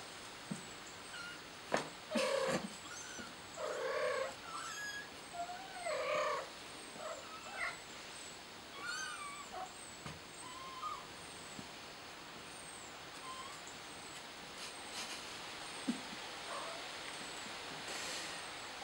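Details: Kitten trapped on a flower pot, giving faint, scattered meows, some short and rising, others drawn out and falling, against steady background hiss and soft high chirping.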